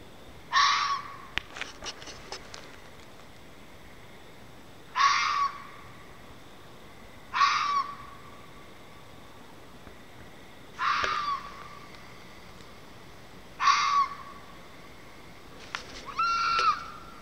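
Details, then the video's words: Red fox calling outdoors, heard over some time: short, harsh, rasping cries repeated every two to three seconds, six in all, with faint clicks and steady background hiss between them. "Weird animal noises from outside.. (Update: it's a fox)"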